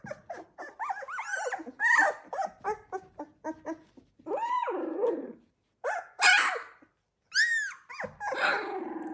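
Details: Z2 litter of Labrador Retriever pups at 16 days old: bursts of thin, wavering whimpers and longer arched squeals from several puppies, with two short silences between the bursts.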